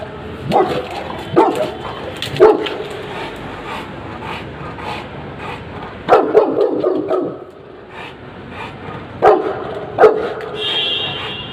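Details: A Rottweiler guard dog in training gives loud, gruff barks in short bursts, with pauses between volleys.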